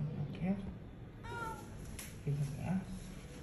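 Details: Injured cat, hit by a vehicle and left by the roadside with a broken jaw and a maggot-infested wound, rescued and brought to Klinik Amore 5 BSD; a short strained meow rises midway, surrounded by low human voices talking nearby.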